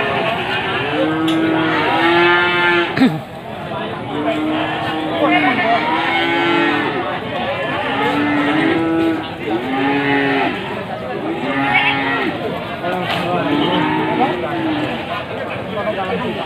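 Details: Many male goats, Etawa and Jawa Randu among them, at Wage livestock market in Panggul, Trenggalek, Indonesia, on 18 May 2020 before Qurban, bleating repeatedly in overlapping wavering calls amid dense crowd chatter and market noise.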